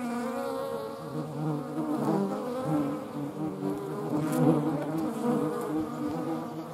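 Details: Low, humming wingbeat buzz of European hornets near median wasps, swelling and fading gently as the insects move about.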